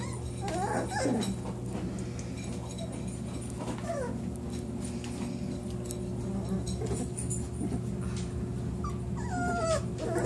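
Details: Newborn Lagotto Romagnolo puppies from a litter of eight, four males and four females, born September 25, 2014; thin, high squeaky whimpers that bend downward, heard around one, four and nine seconds over a steady low hum.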